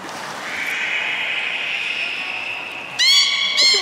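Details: Beluga whale at Port of Nagoya Public Aquarium, Japan, 3 February 2019, feeding and play session: a long, steady, slightly wavering tone, then two loud abrupt harmonic whistles near the end.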